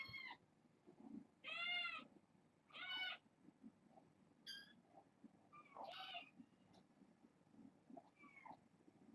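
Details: Kittens at bedtime, born August 29th, giving a burst of high wavering meows: three strong mews in the first three seconds, then softer, shorter squeaky calls, over low room noise.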